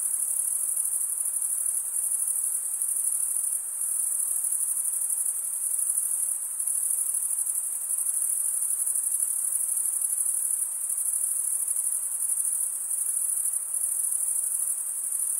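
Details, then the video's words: Long, even wall of high-pitched cricket chirping from stridulating males, wing drawn across the comb-like teeth of the other wing; the trill barely varies, only tiny dips, no other sounds. "Most relaxing cricket sound"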